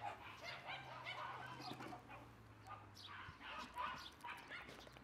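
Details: Red female Shiba Inu puppy at a Shiba breeder's kennel, born 3 April 2012 and filmed 5 May 2012, gives a run of short, high, yappy barks in quick succession over a steady low hum.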